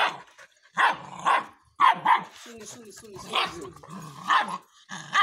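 A Rottweiler puppy gives short, high, yappy barks on command, with a person's voice in between.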